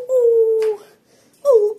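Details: Golden Retriever, a pet at home, giving two drawn-out tonal whines, the first steady and slightly falling for most of a second, the second shorter and falling, indoors.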